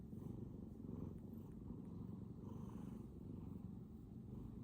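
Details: Deep, vibrating purr of a Bengal cat going full blast, a dense rumbling drone pulsing evenly with each breath, heard up close in a quiet room.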